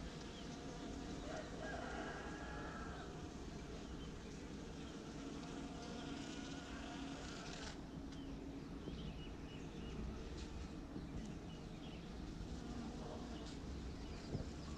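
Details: Honeybees from a private hive gather nectar on dragon fruit (pitaya) blossoms at La Saline, Réunion, 6 February 2018; continuous droning buzz holds a steady low pitch, with a brief whistled note early on and a single sharp click midway.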